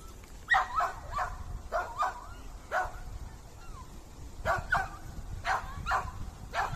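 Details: A dog barking while a squirrel is being fed, which freezes at the sound; short sharp barks in uneven bursts, several close together, with pauses between groups and quiet background noise.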